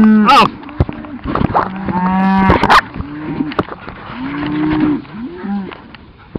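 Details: Cattle being moved to new pasture, herded slowly by a Cattle Dog and another dog. Several low, hoarse moos follow one another, some short and some drawn out, with clattering and shouted herding calls between them.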